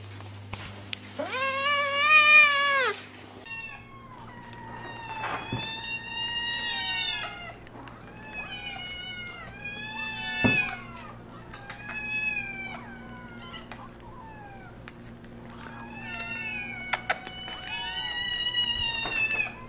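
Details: Feisty, angry house cat opening with a loud, strained yowl, then a long run of repeated wavering meows, roughly one every second or two, over a faint steady hum.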